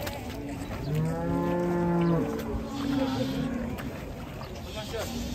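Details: Agitated cow, raging and afraid of water, that finally had to be carried; one low, drawn-out moo with layered overtones sounds over background music and steady noise.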